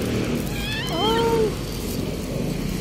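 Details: Stray cat waiting patiently to be tossed some dried fish gives a single drawn-out, slightly rising then falling meow lasting about half a second, over a loud steady background rumble.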